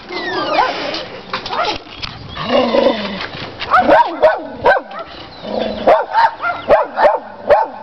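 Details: Pet dogs, including a Chihuahua and a Rottweiler, playing their daily game with the neighbour's dogs. Rough growling and mixed noise come first, then sharp yappy barks repeat about every half second in the last four seconds. Music plays faintly.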